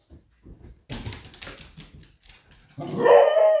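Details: Smudge, a female Beagle indoors, barks and raises the alarm sensing her owner is nearly home from surfing; soft thumps, then a loud ragged bark-howl rising into a harsh tonal cry near the end.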